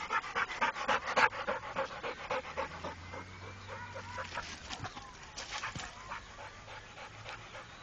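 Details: Rako, a trained Pit Bull, panting in loud quick breaths that fade after a few seconds, with a low engine-like hum and faint whines in the background.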